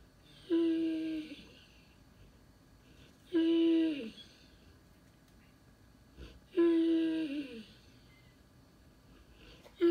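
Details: Loki, a Cane Corso, vocalizes while looking for his lost toy indoors: three long, moaning whines about three seconds apart, each starting steady then bending downward, with soft breathy noise between them.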